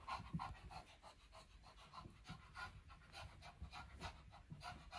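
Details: Lacey, an older Shih Tzu, pants steadily during her daily morning exercise roaming around a carpeted upstairs; quick breathy bursts repeat about three times a second with a soft low rumble underneath.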